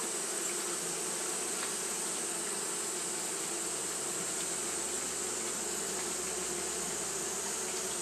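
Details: Fanning Japanese honey bees on a hot day make an even, continuous buzz, a low hum under a sustained high sizzle, with faint soft taps scattered through.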